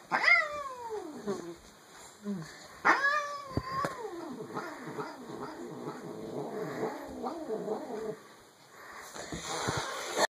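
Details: Rogue, a pet cat, making funny noises: two sharp rising yowls that fall away, then a long stretch of pulsing low muttering moans before a last loud cry.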